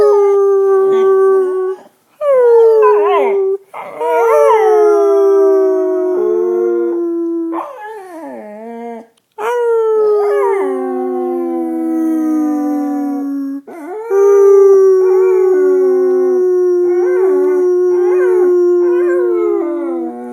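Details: Siren-like howling from a female pet dog, a long series of sustained notes that swoop up then drift slowly lower, some wavering and yodelling, broken by short silent gaps between howls.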